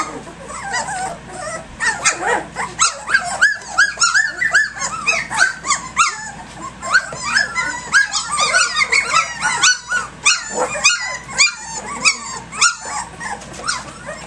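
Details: Puppies at three weeks and three days old romp early in the morning, filling the recording with a dense, busy chorus of high squeaky whines, yelps and rough little growls, calls tumbling over one another almost without pause.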